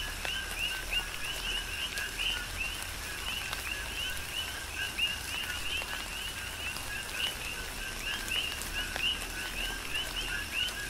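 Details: Many coqui frogs call together during tropical rain on Hawaii's Big Island, each giving a brief low note followed by a higher upward-sweeping chirp, the calls overlapping irregularly above a background wash of falling rain.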